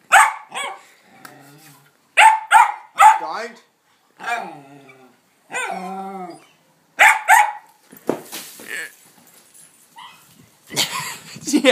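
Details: Excited pet dog barking at a ball placed on a small sand hill: sharp barks in pairs and triplets separated by short gaps, some drawn-out whining barks, with men talking and laughing, plus a rustling burst near the end.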